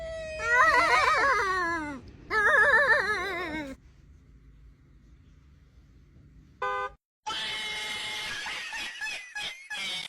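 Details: Domestic cat giving long, wavering, quavering yowls in two drawn-out bursts indoors, followed by silence and then a short tonal burst and mixed noise.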